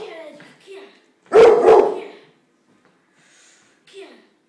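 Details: A Pit Bull puppy fighting with a bunch of flowers gives a double bark, two harsh, rough bursts close together, set between quieter voiced sounds before and after.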